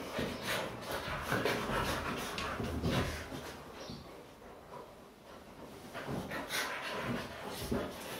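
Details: Pet Siberian Huskies, worked up after playing on a couch, panting in quick, breathy, rhythmic puffs about two to three per second, soft and hissy throughout.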